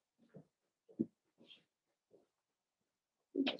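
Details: Blenheim Cavalier King Charles Spaniel puppies from a litter of five born at New Year's play with their mother Paris indoors: a run of short, low grunting bursts with brief gaps, then a sudden louder yelp at the end.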